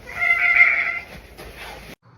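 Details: Domestic cat giving a drawn-out, loud meow with strong stacked harmonics, steady and slightly wavering for about a second, followed by a fainter, shorter meow before the sound cuts off abruptly.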